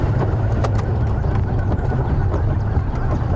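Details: A continuous low vehicle engine drone dominates, with some wind noise over the microphone. No animal sounds can be picked out.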